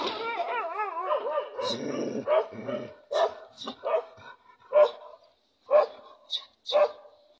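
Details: A dog opens with wavering, whine-like tones over a rough background, then gives a series of short, sharp barks at irregular intervals of roughly one second. The barks grow more separated toward the end.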